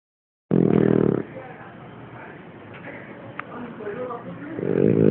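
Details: French bulldog Kina snoring: a loud, low, rasping snore lasting under a second, a quiet pause with soft breathing, then a second rough snore starting at the end.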